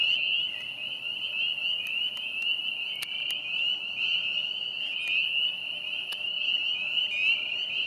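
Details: Many spring peepers calling at a vernal pond in a park, April 25, 2020: an unbroken shrill chorus of high peeps with a few brief clicks and taps over the steady drone.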